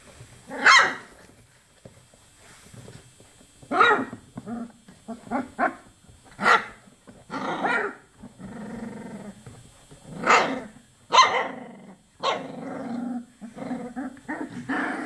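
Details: Chocolate Labrador puppies at 24 days old trade sharp, piercing yelps every second or two with low, rumbling growls in between.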